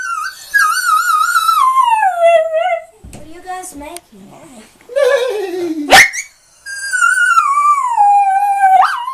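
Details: Singing Schnauzer dog: long, sustained howls gliding downward, broken by short yips and whines, then another extended falling howl with a sharp rise at its end.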